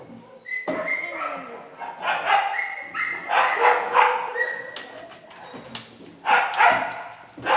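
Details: Shelter kennel of small dogs and puppies: many animals barking and yipping together in uneven bursts, some sharp high yelps and whines mixed in, with a human voice faintly heard under the noise.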